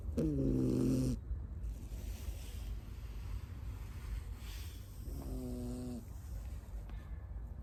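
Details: Tamago, a Miniature Schnauzer puppy born 9 October 2021 in Nago, Okinawa, now living in Osaka, sleeps on a lap and gives two droning, harmonic snores about four seconds apart over low steady room rumble.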